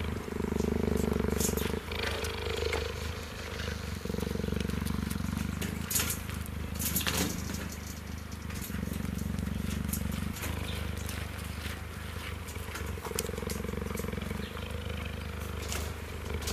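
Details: A two-year-old cheetah leaning against a fence while meerkats groom him through it purs in a low, steady rumble of contentment, with a voice speaking over it.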